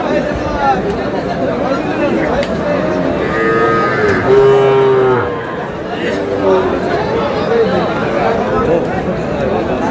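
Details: Sahiwal breed cattle, a calf bought by a farmer from Shariatpur on 26 August: a long, steady, harmonic moo lasting about two seconds, with shorter distant lowing and constant crowd chatter and voices all around.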